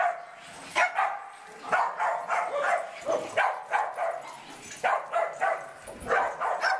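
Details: Barnaby and Riley Jones, two dogs, barking while playing: sharp, high barks in quick irregular bursts, several per second at times, with short pauses between runs.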